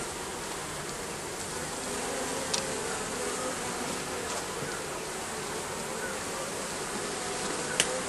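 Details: Bees nesting under a roof produce an unbroken, uniform buzzing hum, with a couple of faint clicks standing out briefly.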